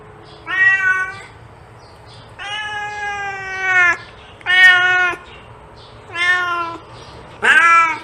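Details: Meowing cat for attracting cats, five drawn-out harmonic calls, one held for well over a second, others shorter with slight rising and falling pitch, spaced about one and a half seconds apart over low hum.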